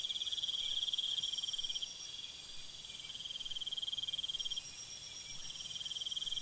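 Crickets trill steadily at night, several high pulsing voices overlapping in a continuous chorus.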